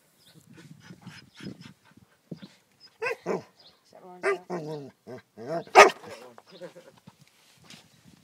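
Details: Male border collie getting wound up and angry with his ball at home; a string of short grumbling, whining vocal bursts, the loudest near the end, with a person's voice nearby.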